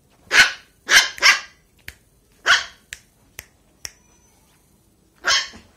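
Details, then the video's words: Lhasa Apso puppy, 45 days old, playing happily on a bed, giving sharp high yappy barks: three quick in a row, another after a pause, then one more near the end, with a few light taps between. "Lhasa apso puppy 45 days happy on bed"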